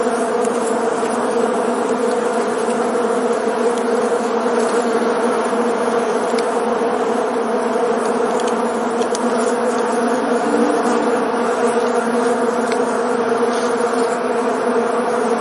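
A bee's steady, low droning buzz in flight, humming on without a break.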